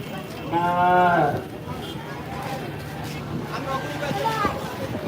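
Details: Cattle at the large Postogola cattle and goat market in 2024, ahead of Qurbani; one loud harmonic moo about a second long, then a fainter second moo, with people talking in the background.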